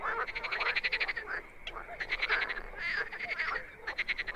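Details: Overlapping wild frogs give short, fast, clicking croak series that start and stop in uneven bursts, with a constant high-pitched hum in the background.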